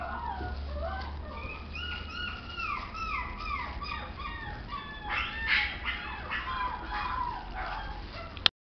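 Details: Toy Poodle giving a run of high, whistly whimpers that slide downward, each falling whine repeated roughly twice per second, with a steady low rumble underneath throughout.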